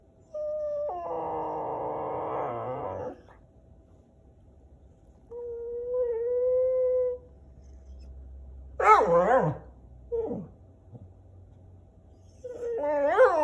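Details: Whippets Dexter and Wallace protesting the camera together, with Hamilton also present. A thick, overlapping whine, then a quieter level whimper, then sharp rising-falling yelps and a final climbing cry.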